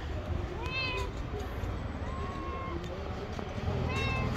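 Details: Fluffy gray stray cat on the street meowing three times: a short call, then a longer drawn-out, level meow, then another short one, with low traffic rumble and background voices.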